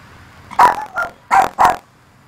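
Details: Maltese dog Luci in a church, yapping at her reflection as if at another dog; four short, bright barks within about a second, the last two close together.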